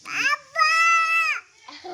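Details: Goat kid being played with by people, giving a brief rising note and then one sustained, steady, nasal bleat of almost a second. People urge it to bleat before and after, with a short voice at the end.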